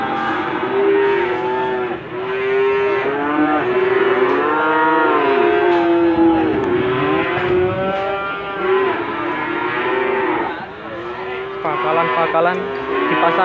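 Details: Many Limousin cattle at the Gondanglegi livestock market, Malang Regency, East Java, Indonesia, on 12 February 2020, lowing together in a dense chorus of overlapping drawn-out moos that bend up and down, with faint vehicle noise behind.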